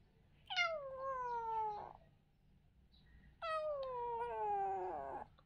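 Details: Kitten at play meows twice: a falling cry lasting over a second, then after a pause a longer, slightly wavering meow that drifts gradually lower, with little background noise.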